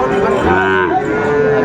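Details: A single sustained moo from Sahiwal bull calves at a Sylhet cattle market on 29 June 2024, rich and harmonic, slightly wavering, with crowd noise beneath.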